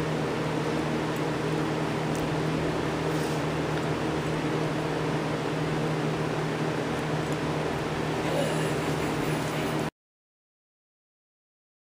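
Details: Steady broadband hum like an appliance or air conditioner runs for ten seconds, then silence; no dog barks or other animal sounds stand out.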